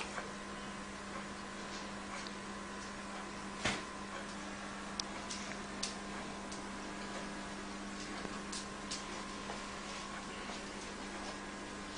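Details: Quiet indoor room tone with a steady electrical hum and a few faint clicks and knocks, with no animal sounds.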